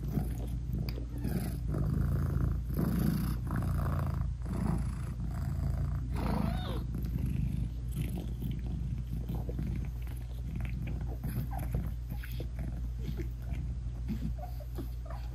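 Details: British Shorthair mother cat purring while nursing and cuddling her newborn kittens, eyes still closed; a close, continuous throbbing purr with soft rustling and shuffling sounds, no music.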